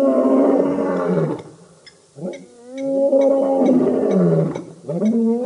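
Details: Birmingham Boys male lion coalition roaring at a dam, Djuma Game Reserve, Sabi Sand near Kruger Park, South Africa, August 11–12 2016; deep harmonic roars with sliding pitch, brief gap, then another swelling roar and upward-bending grunts.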